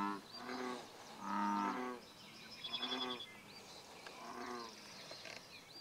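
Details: Bullfrogs calling at Bombay Hook National Wildlife Refuge: several deep, twangy, harmonic croaks of uneven loudness, irregularly spaced, the later ones fainter and partly overlapping, as if from more than one frog or at varying distance.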